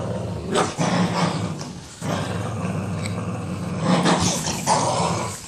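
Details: Boston Terrier playing tug of war, giving a steady low rumbling growl that swells and eases over several seconds, with a few harsher noisy bursts.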